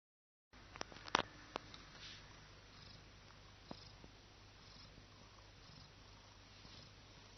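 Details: Domestic cat basking in the sun, relaxing, sneezing because of its own fur; a single sharp, loud burst about a second in, flanked by a few faint clicks, then a quiet steady low hum.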